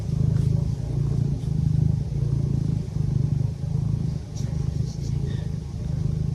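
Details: Pet cat purring continuously, a low vibrating drone pulsing in rhythmic breath cycles roughly every second, with faint light rustles near the end.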